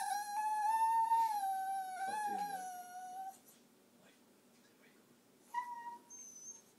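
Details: A dog named Taco 'talks' to his owner indoors with a long, steady, nasal whine lasting about three seconds. After a pause comes a second, shorter whine, with quiet room noise between them.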